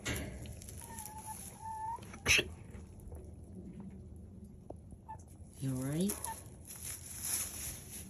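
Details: A female goat gives a sudden sharp cough like a gasp and hiccup, caused by a little dust in the air; the owner first thought she was choking. A person speaks nearby.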